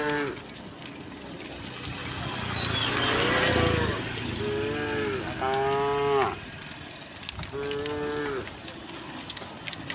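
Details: Herd of dozens of tame cows moving along a quiet country road in green surroundings; a noisy, rumbling start, then several bellowing moos in the second half over steady background noise, with faint bird chirps.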